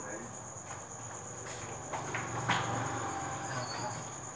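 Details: Cricket chorus on a cricket breeding farm, Thanh Bình, at 8 pm as egg-laying trays are prepared for buyers: an even, high whining buzz sustained without pause, with brief spoken words and clatter in the background.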